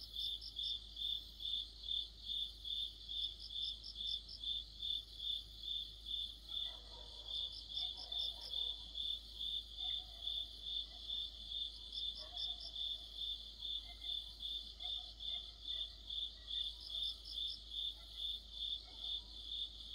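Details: Crickets joined by other insects in a deep-autumn chorus, trilling high chirps evenly about two to three per second, with bursts of a second faster pulsing caller and some faint low background sounds midway.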